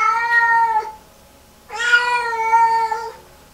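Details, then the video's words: Lynx Point Siamese cat in post-bath distress, walking into the bathroom and melting down: a short wail followed after a pause by a longer, louder, harsh drawn-out meow with strong harmonics. "Lynx Point Siamese Cat PTSD 5 hours after bath"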